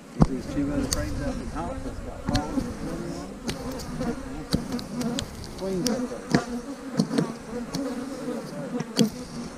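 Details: Buzzing honey bees from colonies being split in March 2020, queen cells present; a continuous droning hum with wavering overtone bands, broken by frequent sharp taps and clatters from hive work.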